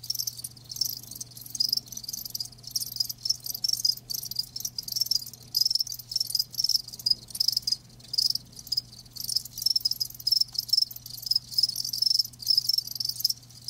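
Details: Live crickets produce an unbroken shrill trill, dense rapid pulses with a clear high tone running through, several insects overlapping, faint low hum in the background.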